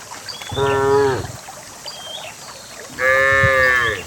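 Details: Cow in a herd of dozens walking down a green hillside to valley pasture; two short moos about two seconds apart, the second brighter and higher, over quiet rural background with faint birdsong.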